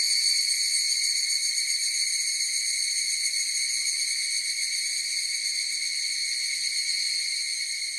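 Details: Continuous higurashi cicada chorus, a dense high-pitched metallic ringing with a quick tremolo, starting strong and fading slightly toward the end, alone against a quiet background.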